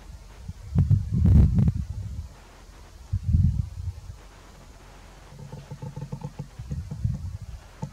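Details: Red deer stag roaring during the rut in Grădiștea Muncelului - Cioclovina Natural Park, filmed during a monitoring action: deep, rough, rumbling bellows in bursts, then a steadier low groaning with faint harmonic tones, with some rustling.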